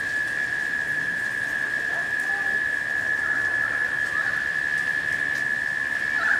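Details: Steady humming of cicadas late in summer while rain falls, one level droning tone running the whole time, with rain noise and a few faint, brief bird notes mixed in.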